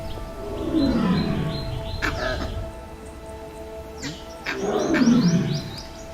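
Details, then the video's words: Male Bengal tiger roaring a few meters away on safari in Kanha, India, announcing his presence; two deep, drawn-out roars falling in pitch, near the start and again about four seconds later, over background music. "It's hard to describe the feeling of hearing a tiger roar from a few meters away."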